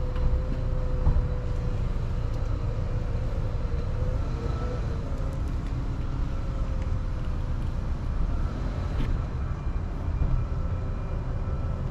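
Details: Steady low rumble of road traffic and passing vehicles fills an urban outdoor scene, with faint tonal engine hums and no animal voices.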